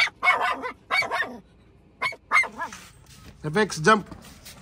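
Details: Pet puppy taken along on a car ride, giving short sharp barks in quick bursts of two or three, a second apart, mixed with people talking nearby.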